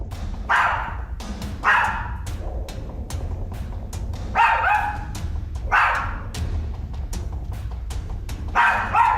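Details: Small female dog barking and growling incessantly at an empty spot in a living room, tail wagging, as if someone were there; posted as a ghost sighting. Sharp barks in about five bursts over nine seconds, each a short volley, over a steady low hum.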